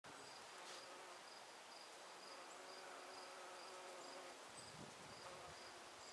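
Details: Honey bees working hard gathering nectar from flowers, a steady, unbroken low hum with layered droning tones that holds at an even loudness for the whole stretch, with faint high ticks above.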